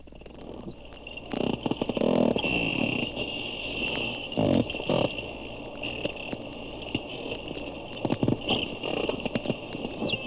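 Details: Porpoises, probably four, recorded underwater by hydrophone at a Daytona zoo, one at times very close: broadband click trains and loud buzzing rasp bursts, with a brief high rising-falling whistle near the start and end, over steady hum.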